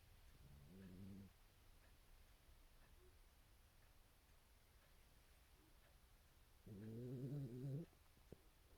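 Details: Mame Shiba dog sound asleep on a futon, snoring: two low, rumbling, buzzy snores about six seconds apart, each roughly a second long with a rough pulsing texture, in a quiet room.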